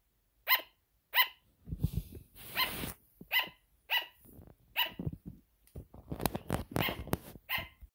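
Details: A sugar glider barks at something hidden behind an object, giving sharp, high-pitched yapping barks repeated in short bursts, with rustling in between.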